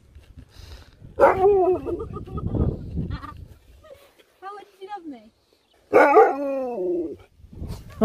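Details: Sherpa, a pet Alaskan Malamute, gives two loud drawn-out howling 'woo' vocalizations, each bending down in pitch, with a softer broken yowl between them, while family members talk to him in the background.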